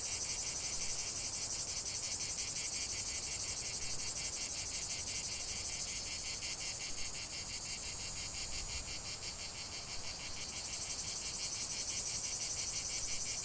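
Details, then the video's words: A chorus of cicadas gives a steady, intense high-pitched buzz, evenly pulsed about three times per second, with a brief shift in tone near the end. "45 min de chant des cigales"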